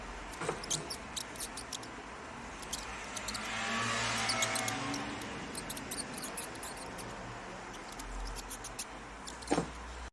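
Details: Mouse squeaking, with tiny high chirps repeated in uneven runs while a broad hissing noise rises and falls in the middle, and a low rumble stays beneath.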